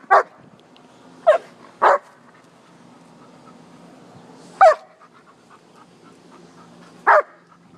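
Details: Playful barking from a poodle and a shepherd romping outside behind the house: five short, loud barks at uneven intervals, clustered early then spaced out, with a low steady hum beneath.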